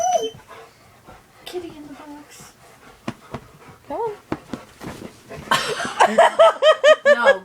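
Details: Domestic dog reacting to cat videos, a person scolding at first, then a fast run of high, rising-falling whines or yips repeated in quick succession over the final two seconds.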